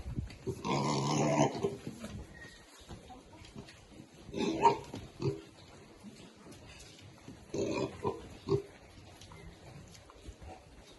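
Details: Baby pigs eating happily; loud noisy squealing bursts come around the first, fifth and eighth seconds, separated by quieter stretches with scattered grunts.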